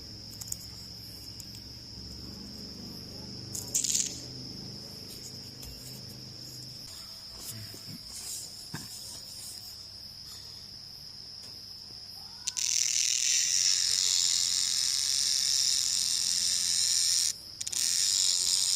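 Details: Cicadas heard at night in jungle: a continuous, piercing high-pitched tone, then a much louder, harsh, rasping buzz surges over it, briefly drops out, and resumes.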